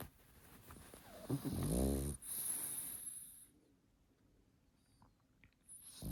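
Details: Sleeping pug snoring: a short, rattling, snorting inhale of about one second, followed by a faint hissing wheeze and quiet room tone.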